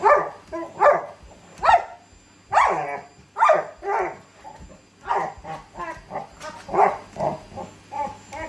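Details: Labrador Retriever excited by a vacuum cleaner, turning into a beast during a vacuum battle shared with a Shiba Inu; rapid hoarse barks and growly yelps in irregular bursts, roughly every half second, with rising whining edges.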